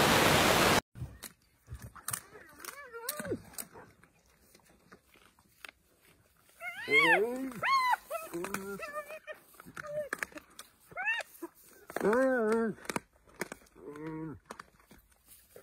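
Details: Wild African spotted hyena calling to the rest of the clan, a run of rising, arched whooping cries repeated in bursts with breaks between, amid outdoor quiet and a brief burst of noise at the start.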